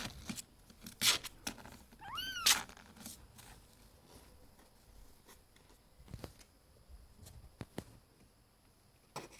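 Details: Cat at home, among pets named Auri, Vin and 2-Euro, utters a single short arched meow, surrounded by crisp clicks, rustles and soft knocks in a small room.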